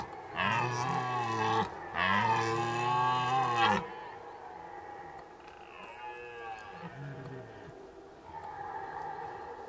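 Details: Red deer roaring during the rut at Zvārde: two loud, deep, harmonic-rich roars, each rising then falling, about two seconds long and back to back, followed by fainter, higher, more distant bellows from other deer.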